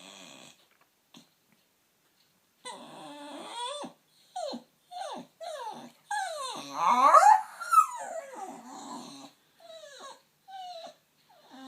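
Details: Lady, a Staffordshire Bull Terrier sitting on a knee indoors, vocalizes at unseen workmen on a field: a run of short falling whines and yelps, then a louder squealing, warbling outburst and more brief whimpers, with quiet gaps between.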